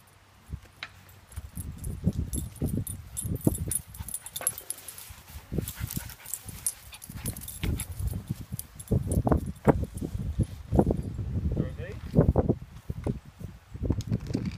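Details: Jersey, a Shih Tzu, plays at a play date with another Shih Tzu puppy, giving short, low, growly barks and soft whimpers in irregular bursts, with scuffling and rustling between them.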